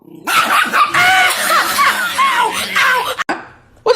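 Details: Pet dog gives a sustained, loud, wavering vocal outburst with rising and falling tones, like talking back, for about three seconds before a brief pause.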